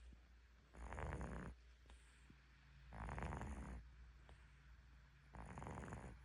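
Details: Sleeping cat snoring deeply: three long, rough, breathy snores about two seconds apart, each a broad rasping burst with a faint high whistle on top, quiet breathing between.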